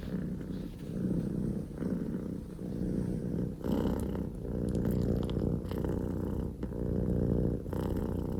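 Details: A very loud, rumbling purr from a male Scottish Fold kitten named Poko J, whose mother is the calico Pekomi; dense low vibration swelling in regular breath cycles about every second, a few light clicks of movement.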